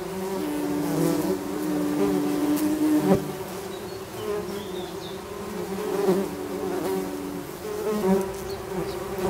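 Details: Many tree bumblebees in a nest, Bombus hypnorum, healthy colony with young queens; dense steady hum with gently rising and falling loudness and faint scratching.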